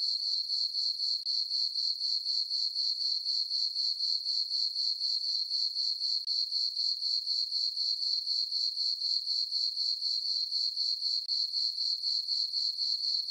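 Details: Crickets chirping on a peaceful summer night in a farm meadow under a full moon; a steady high, shrill pulsing trill, about four chirps a second, continuous and even throughout, with no other sounds.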